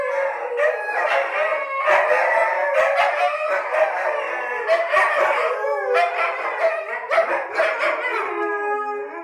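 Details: Three rescued dingoes howl together indoors in a studio, in long, wavering, overlapping tones that rise and fall.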